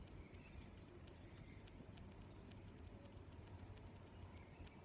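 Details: Shrill cricket chirping outdoors: six or seven bright pulses spaced just under a second apart, laid over a persistent high hum and a faint deep rumble.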